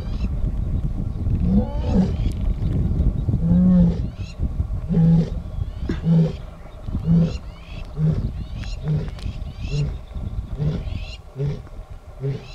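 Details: In the Northern Serengeti, a lioness calls to her pride with a roaring bout that starts with drawn-out moans and falls into shorter, evenly spaced grunts about once a second, gradually fading, with low rumble underneath.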